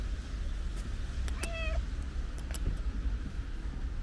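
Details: Affectionate stray cat with a pink nose, one short falling meow around the middle, over steady low rumbling background noise.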